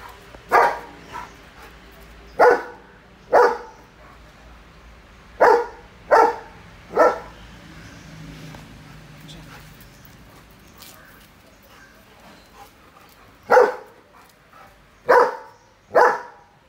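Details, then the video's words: Jack, a protective two-and-a-half-year-old German Shepherd kept as a watch dog, gives loud deep barks singly and in pairs with pauses between, ten in all over the stretch, with a faint low rumble in the quiet gap. "German Shepherd loud bark"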